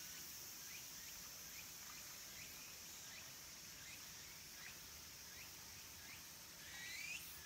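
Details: Late-summer cicada chorus, minmin and tsukutsukuboshi, around Kabusanji temple among the mountains of Takatsuki City, Japan: a continuous hissing high drone with faint rising chirps recurring at a steady pace, ending in a louder sweeping phrase.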